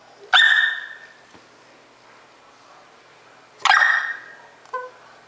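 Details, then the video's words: An annoyed four-month-old female English Bulldog puppy indoors, barking at a bulldog seen in the window: two sharp, loud single barks about three seconds apart, followed by a short soft yip, with quiet between them. "English Bulldog Puppy Cupcake Barks at Dog in Window"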